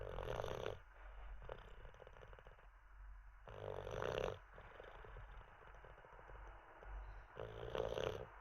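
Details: Teddy, an Olde English Bulldogge, asleep after treats and a wee: three rough, rumbling snores about every three and a half to four seconds, with softer breathing noise between them.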